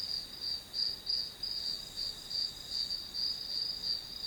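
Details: Grass insects as white noise for studying: a short run of piercing high chirps, each roughly a third of a second apart, swelling and fading evenly over a soft constant whine.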